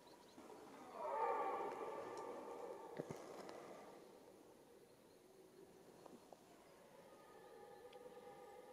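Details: Red deer roaring during the rut, the mating season: one long harmonic roar starting near one second and fading over about three seconds, followed by quieter distant bellows, with faint background rustling.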